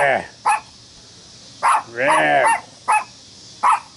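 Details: At a reunion party in Wilmette, Illinois, July 25, 2015, a dog barks at "The Devil Ant": single abrupt barks spaced about a second apart, with a drawn-out human voice sounding between them.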